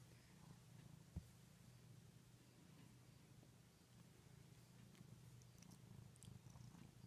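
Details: Domestic cat purring steadily indoors, a continuous low rumbling hum with even pulsing throughout, one sharp click near the start, faint rustles above.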